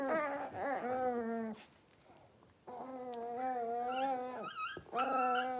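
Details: Young blenheim Cavalier King Charles Spaniel puppies, one litter of five, in their home puppy pen. Drawn-out, steady whines and howl-like cries, separated by a near-silent gap and finished with higher wavering yelps.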